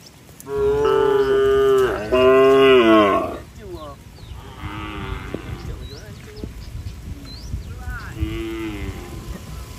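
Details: Herd of tame cows heading for the barn as rain falls in bright weather; a strong, drawn-out moo breaks in two, followed by softer, quieter lows from other animals over a rustling background.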